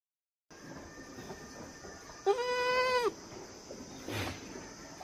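A young goat gives one clear, nasal bleat, steady in pitch and lasting under a second.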